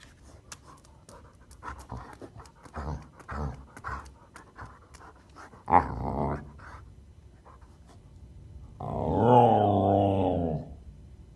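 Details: Samoyed dog indoors, soft breathy panting and small vocal noises, then a sharp short yelp near the middle, ending with a long drawn-out whining howl of about two seconds.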